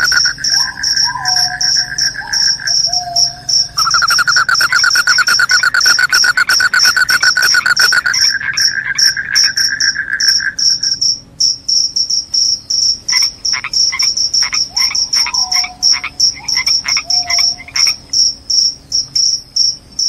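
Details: Loud crickets offered as a rat repellent and a sound to make you sleepy: a steady high, rapidly pulsed chirping runs throughout, joined midway by a lower buzzing trill and scattered short downslurred notes from other callers.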